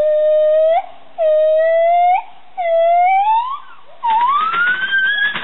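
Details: Female gibbons at a gibbon and siamang rescue programme in Indonesia (Borneo and Sumatra) sing clear, hooting notes that swell and slide upward, ending in a long rising wail.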